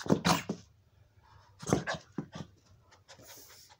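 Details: A 16-year-old Boston Terrier, nearly blind, gives short, gruff barks in two bursts with softer huffs and snorts between them while playing and fetching his hamburger toy.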